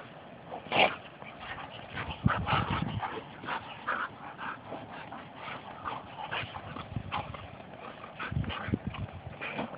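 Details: Two Labrador retrievers at play-wrestling, giving harsh growls and snorting huffs in irregular bursts, with thumps of bodies and paws landing low underneath.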